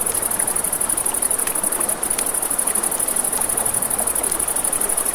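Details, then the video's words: By a river at night, crickets sustain a fast, even, high-pitched trill, briefly dipping once near the middle, layered over crackling flames and rushing water. "Crackling Fire, Crickets, Ambient Nature Sounds"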